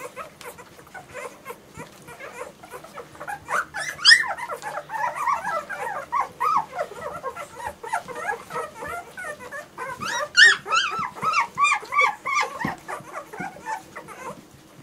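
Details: Several German Shorthaired Pointer puppies in a steady chorus of whines and squeaky yips that builds from quiet, spaced whimpers into dense, overlapping cries. A sharper burst comes around the middle, then the cries fade toward the end.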